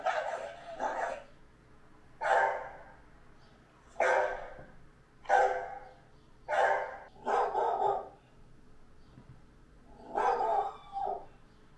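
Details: Great Dane named Anúbis barking in a steady series, eight deep, broad bursts spaced roughly one to two seconds apart, some doubled, with a quiet background between them.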